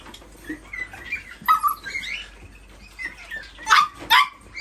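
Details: Toy poodle making thin, wavering whines and squeaks, ending with two sharper, louder yelps, over steady low-pitched background hum.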